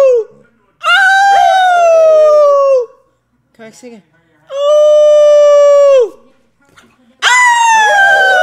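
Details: A dog named Rex is being taught to howl while his owner howls with him. Three sustained, level howls of about two seconds each, separated by short gaps, with the last one rising sharply at its start.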